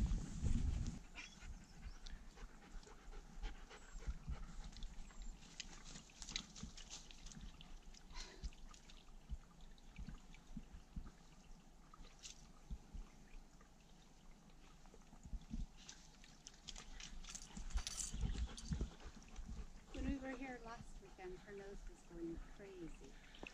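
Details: German Shepherd panting during a wilderness hike in the redwoods: soft, breathy huffs repeating quickly, roughly two or more per second, fairly quiet and uneven, with crunching footsteps on the forest trail.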